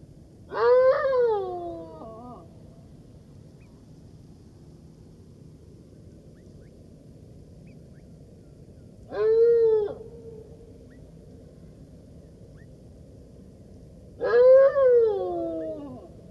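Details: Golden jackal calling in three separate bursts several seconds apart, each a brief rising-then-falling wailing note, the first trailing into a lower tail, with quiet stretches between.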